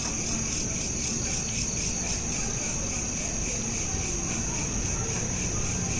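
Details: Crickets chirping at night, recorded on a smartphone: a steady, high, shimmering trill in several stacked layers with a faint rhythmic pulse, over a constant low rumble of background noise.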